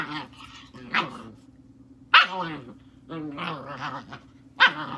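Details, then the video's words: German Shepherd puppy, a confident female, playing with and taking on her father: sharp barks and throaty growls in irregular bursts, each bark a bright harmonic burst, with a steady low hum underneath. "Takin on her Daddy!!"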